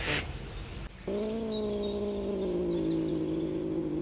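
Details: Cat in a garden where a cat and two scared kittens were abandoned in a cardboard box, with resident cats unhappy at the newcomers; a long, steady, tonal yowl rich in harmonics, held about three seconds and sagging slightly in pitch after a short noise burst.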